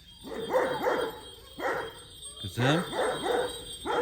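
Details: Female Kangal dogs giving clusters of rapid, hoarse barks in uneven bursts, with a faint steady background hum and a voice briefly heard.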